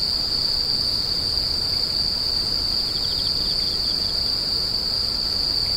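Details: Grass insects give a steady, high-pitched trill that drones without a break, like a cricket chorus.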